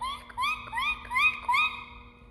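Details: Guinea pig giving its cuy call, the sound used to communicate with each other and the origin of its South American name; about five whistled calls, each sweeping upward, arrive in quick succession with short gaps between them.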